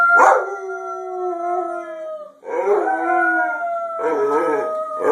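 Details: A white Labrador Retriever howls in long, wavering tones along to people singing Happy Birthday.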